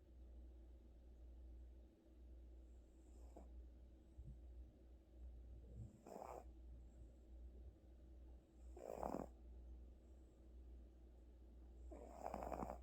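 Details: Pet cat Gucci sleeping deeply after a tiring vet visit, giving breathy, rasping snores roughly every three seconds, each a short noisy exhale growing louder toward the end, over a constant low hum.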